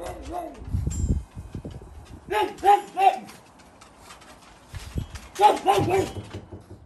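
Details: Two pugs on backyard patrol give short bursts of sharp, harsh barks, raising the alarm against intruders.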